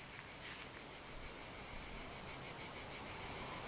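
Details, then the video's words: Cicada calling close beside the microphone on a very hot, sunny day outdoors: a steady high buzzing with a fast pulsing beat, roughly three pulses a second, continuing without a break over faint background hiss. "Abbiamo la fortuna di avere anche questa cicala qua a fianco che ci fa sentire anche i suoni esterni come variano."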